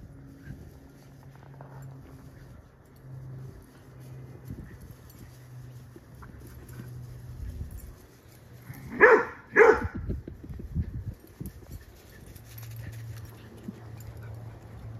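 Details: Ten-week-old female yellow Labrador mix puppy playing with another dog indoors; two short sharp barks in quick succession midway, with a steady low hum and soft scuffling throughout.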